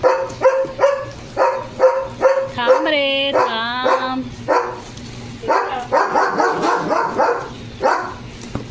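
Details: German Shepherd barking at home, repeated short barks roughly every half second, then a long drawn whine with rising and falling harmonics, followed by more rapid barks; a woman talks over the dog throughout.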